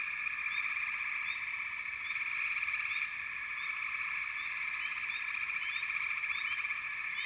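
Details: Short stretch of a thick frog chorus, constant overlapping trilling with quick rising chirps sprinkled through it, loudness slightly fluctuating.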